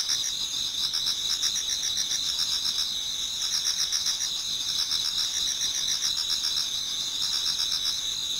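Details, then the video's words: Pre-dawn autumn chorus of many insects in a Japanese garden: continuous high shrill ringing tones plus clusters of rapid chirp pulses, several per second, with no birds or people heard. "Autumn Insects voice Towards dawn"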